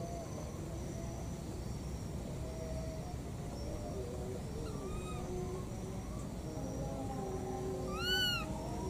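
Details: Two wild baby monkeys calling repeatedly while looking for their mother: thin, arched whistled cries that rise and fall, a few scattered then a louder one near the end, over a steady low rumble of background noise.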